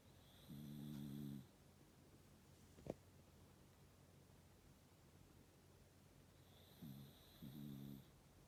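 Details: Shiba Inu snoring, with two low droning snore breaths about six seconds apart, each lasting roughly a second with a faint high hiss, separated by near silence and a single sharp click.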